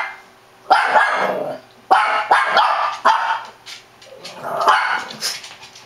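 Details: Frantic Shih Tzu barking: four harsh, ragged barks spaced roughly a second apart, mid-pitched and noisy, the last trailing into a rougher, growly sound.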